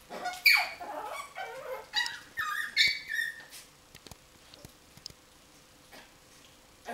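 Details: Coton de Tulear dog at play, giving high squeaky yelps and whines in a quick burst over the first four seconds, then near silence with faint clicks in a small room.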